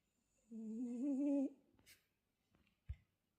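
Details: A French Bulldog sleeping and snoring quietly indoors gives one hummed, slightly rising snore lasting about a second, followed by a soft rustle and a brief click.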